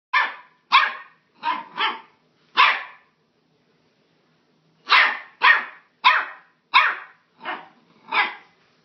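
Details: A Staffordshire Bull Terrier puppy on a rug gives short, sharp, high-pitched barks in quick bursts.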